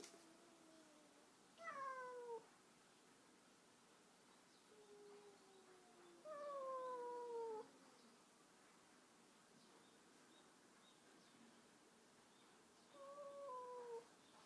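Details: Cats meeting a stray cat: three drawn-out meows, each sliding downward in pitch and lasting about a second, spaced roughly five seconds apart over a quiet, steady background hiss.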